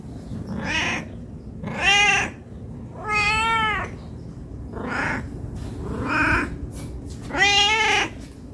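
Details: Meowing of a hungry cat begging to be fed: six meows over about eight seconds, some strained and breathy, others clear and arched, with a low background hum.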